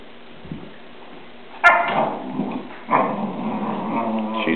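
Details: Newfoundland dogs Murphy and Molly play fighting; after a quiet start, a sharp click, then a loud harsh growling bark that fades, and a second rough growl-like burst near the third second, with mutters continuing.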